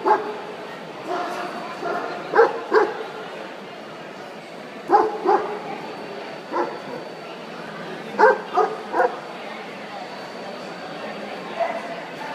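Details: Central Asian Shepherd puppy at the World Dog Show 2013, best minor puppy class; short deep barks in spaced bursts of two or three, with crowd chatter and a steady high hum in the background.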